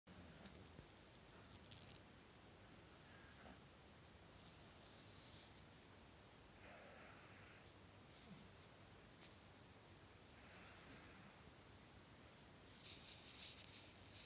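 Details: Franky, a pet pug, snores while asleep indoors: soft, breathy, hissing snorts recurring roughly every two to three seconds, each a short noisy puff, with a quiet room in between.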